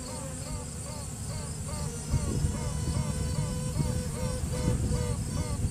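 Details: Honey bee hive during a routine check, a virgin queen piping to assert dominance while nearby workers pause: rapid series of short, rising, horn-like pulses about three per second, over a heavy droning hive buzz.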